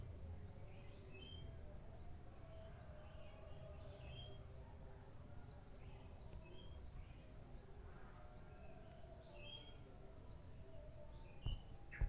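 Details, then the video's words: Morning cricket chorus of brief, high chirps pulsing roughly twice a second over a deep background hum, scattered bird notes in the middle range, and a few sharp knocks near the end. "Suara Jangkrik Di Pagi Hari"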